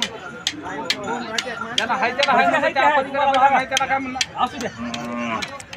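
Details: Cattle at the live Gangakhed bull market on Saturday, 29 April 2023. Drawn-out, harmonic lowing rises over a dense layer of crowd chatter, with one steady low call near the end.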